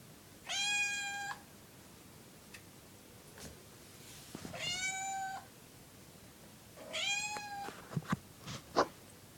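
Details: A kitten begging at night to go outdoors gives three drawn-out, even-pitched meows at intervals of about three seconds. A few soft clicks and taps are heard in the quiet room.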